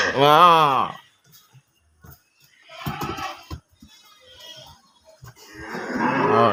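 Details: Farm cattle give a short, loud moo that swells and falls at the start. Voices follow, and another moo builds at the end.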